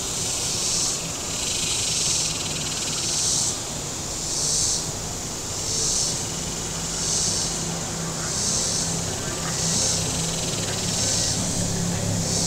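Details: Cicadas on the shore of Table Rock Lake, southern Missouri, on a very warm Saturday, their high rasping buzz beating in regular waves about every 1.2 seconds above a low droning boat engine.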